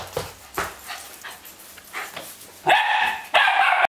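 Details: Löwchen at play with another dog in January 2008, giving soft rapid yips that give way to two loud, drawn-out barks at the end.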